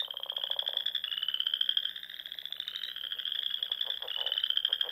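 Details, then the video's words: Frogs chorusing in spring at dusk among the lakes and ponds of the Nebraska Sandhills dunes; a dense, continuous high trilling drone with overlapping callers and lower pulsed croaks underneath. "RELAXING SOUNDS OF FROGS"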